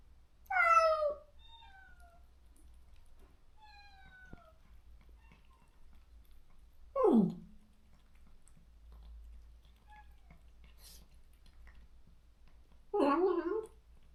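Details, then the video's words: Countryside stray cat calling for its separated companion after neutering: three strong wailing meows spaced about six seconds apart, one sliding steeply downward, with faint softer mews between and a low steady hum underneath. "중성화 수술 후… 강제로 헤어진 단짝을 찾아 매일 울부짖는 고양이"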